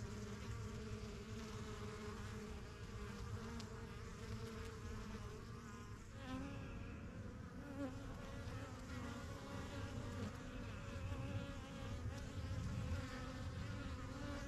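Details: Busy backyard beehive, the strongest of a few first-year yellow hives begun spring 2023, bees coming and going: continuous droning buzz of many insects, low and even, with faint passing higher whines.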